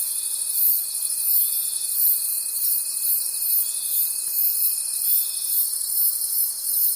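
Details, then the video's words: Forest crickets at night produce a bright, unbroken high chorus with gentle rhythmic swells, accompanied by a faint steady tone that fades shortly before the end. "Forest Sounds and Cricket Conversations at Night"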